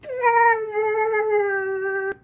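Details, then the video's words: Siberian Husky 'talking' back to a voice assistant indoors: a single long, level, moaning howl of about two seconds, its pitch slowly drifting downward and ending abruptly. "Maya Husky Talks To Alexa"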